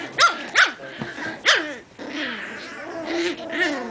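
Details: Min pin puppies from five litters at play in Otego, New York, giving sharp high-pitched yaps, three quick ones in the first second and a half, then softer whining yelps trailing off.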